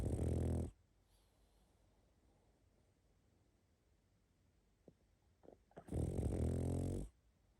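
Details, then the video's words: A pug asleep, giving two long rumbling snores about five seconds apart, with faint snuffles and small clicks in the quiet gap between them. "Храп и сопение мопса"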